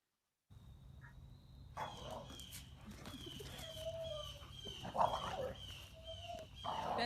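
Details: Smaller of two domestic dogs in rough play, having shown raised hackles earlier, gives loud vocalizations that do not sound friendly, unlike play growls. Short harsh bursts sit over steady background noise and a faint constant high tone.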